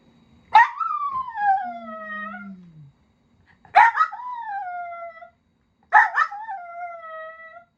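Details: Pet Miniature Dachshund from a family of four, howling in three drawn-out cries, each starting with a sharp yelp and sliding down into a long falling wail, separated by short pauses.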